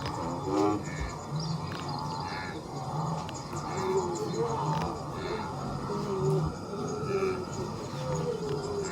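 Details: Blue wildebeest (Connochaetes taurinus) grunting: low, nasal grunts that overlap steadily, like a herd calling together.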